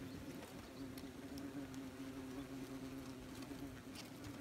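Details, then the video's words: Wasps very busy at a nest, recorded from as close as possible: a steady, dense droning hum holding one low pitch throughout, with scattered faint ticks and rustles above it. "We have a wasps nest CRIKEY"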